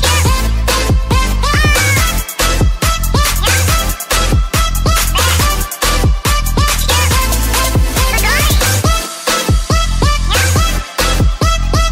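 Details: Loud electronic dance-pop music with steady beats and sliding synthesizer notes plays throughout, with no animal sound heard.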